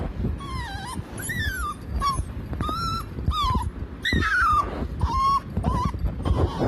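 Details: Puppy 45 days old making a humming sound: a series of thin, whistled whines, some rising and others falling, repeated roughly every second, over loud background rumble and speech.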